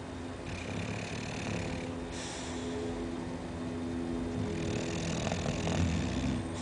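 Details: An 11-month-old Chow Chow snores in its sleep with a low, rough, rumbling drone that barely changes.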